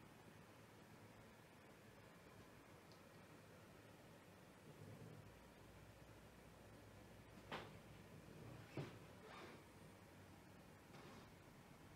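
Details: Quiet indoor room with a few knocks and slides of a cupboard or sliding door near the end, a soft low hum underneath and no animal voice.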